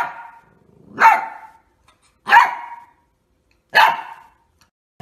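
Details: Labrador Retriever barking three times, loud, sharp barks spaced roughly every second and a half with quiet gaps between, each bark a short harsh burst with a clear tonal core; no other clear sounds.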